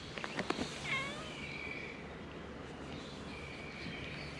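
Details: Stray cat on a cat island, filmed with a GoPro HERO8: a short harmonic meow sliding downward near the one-second mark, preceded by a few sharp clicks, then faint drawn-out tonal traces over steady low outdoor noise.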